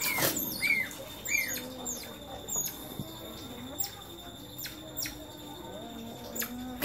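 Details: Pet otters, one naughty otter bothering the others, give sharp, high squeaks and chirps, some bending downward, between scattered clicks and patters.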